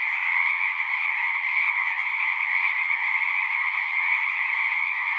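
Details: Pond frogs in a horse pasture chorusing, recorded on a Zoom recorder; a constant, even mass of trilled croaks layered over each other, loud and unbroken across the whole stretch.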